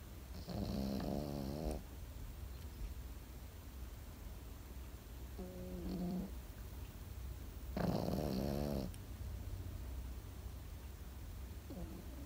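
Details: A sleeping Pekingese snores in a quiet room: three rough, vibrating inhalations, the middle one short and soft, the others loud and drawn out, spaced several seconds apart.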